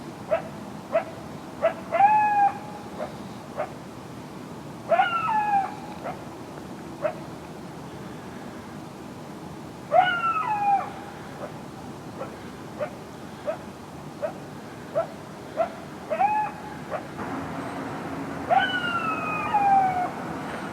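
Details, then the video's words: Coyotes calling at night, near and loud with more barking than usual: clusters of quick, sharp barks alternate every few seconds with sliding, descending yelps and a long falling howl at the close. "Coyotes barking in the night"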